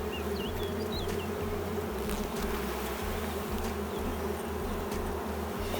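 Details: Queenless honey bee colony turned drone-laying, the hive holding honey yet sparsely populated and without brood. A continuous buzzy hum drones throughout over a choppy low rumble, with a few brief bird chirps heard early on.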